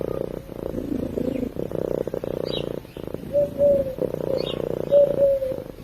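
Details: Cat purring while asleep, heard close up: a fast, throbbing low purr that swells and fades with each breath, while a few soft high chirps and short whistled tones come through behind it.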